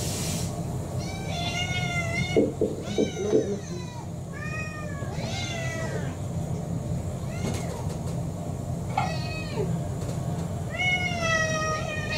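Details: Kurumi, a roughly four-year-old orange tabby mixed-breed cat in a multi-cat home, begging for dinner in Japan, December 2023: a run of repeated arching meows with rich harmonics, several in quick succession, over steady low household hum and faint speech.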